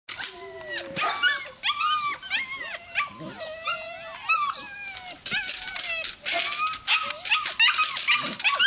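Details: Belgian Malinois puppy giving high, wavering whines and short yelps, the notes bending up and down in quick overlapping bursts with brief sharp clicks between them.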